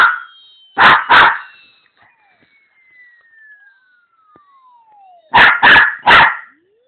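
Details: Pet dog barking in reaction to a played "most annoying noise ever", a long, slowly falling electronic tone; two quick sharp barks near the start and three more near the end, each short and punchy.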